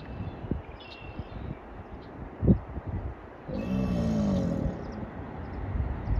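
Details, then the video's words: One of two American alligators giving a mating call at Huntington Beach State Park, Murrells Inlet, South Carolina, on March 22, 2024. A softer, throaty growling bellow swells for about a second midway, with a sharp knock earlier and steady low background noise. "Alligator Mating Calls"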